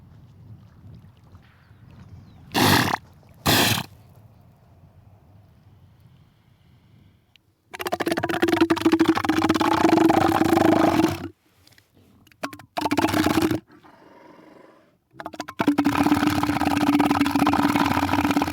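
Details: Elephant seal: deep, throbbing, pulsed roars in three long bouts, each a steady low rattle with buzzy overtones. Two short sharp bursts come before them, with quiet low rumble between.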